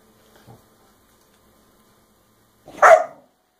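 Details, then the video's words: Scooby the puppy, in a room strewn with toys, barks during a tantrum over Rocky's chew. A faint scuffle comes first, then a single sharp, high yip-like bark near the end after quiet. "Scooby Throws a Puppy Tantrum"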